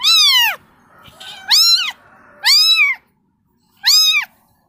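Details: Kitten calling its mother with four loud, piercing meows, each arching up and down, the first longest, with a softer rustle between the first two.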